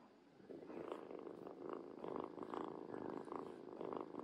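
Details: Mu, a rescued former stray kitten, purring on finding his owner; a steady rhythmic purr with pulses about every half second, continuous and fairly soft throughout, indoors with no other clear sounds.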